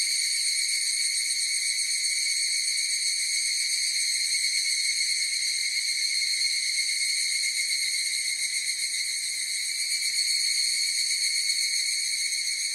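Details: Many higurashi cicadas in chorus: a continuous piercing buzz of several high layered tones, steady in pitch and volume, with a gentle quick pulsing texture.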